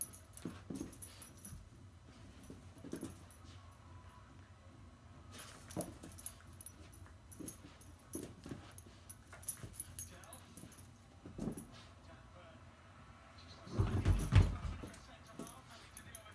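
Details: An 11-month-old female Border Terrier growls while playing with her toy monkey. Low rumbling pulses recur throughout, building to a louder burst of growling and scuffling near the end.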